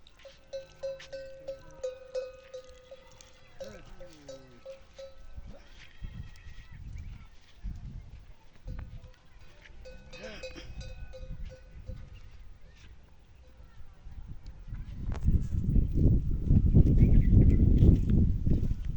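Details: Camel crying loudly: a sustained, steady moaning tone rich in harmonics fills the first few seconds, then returns in broken stretches around the middle, mixed with human voices; heavy low rumbling noise takes over near the end.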